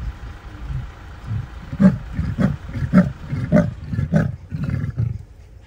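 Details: A male leopard (Panthera pardus) calling in the early morning gives a powerful, rasping sawing roar, a string of deep coughing grunts like a saw through wood.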